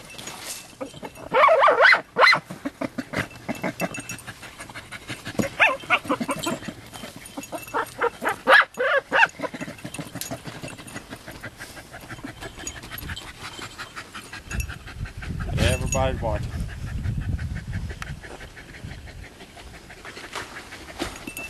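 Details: Jagdterriers Luco, aged just over two, and her daughter Effie, six months old, work an armadillo on a hot, dry day. A few loud barks break out early and around the middle over steady panting, rustling and low rumbling.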